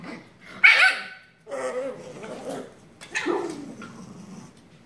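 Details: Shiba Inu puppy tackling its sister in play: a loud, sharp bark early on, followed by throaty, wavering growls and a second rising yelp-like bark that fades into grumbling.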